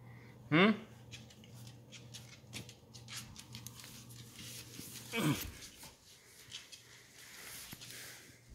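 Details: Bailey, a Beagle kept indoors, in a bad mood in the morning: two short rising whiny yelps about five seconds apart, with a low steady hum and scattered clicks and rustling in a small room.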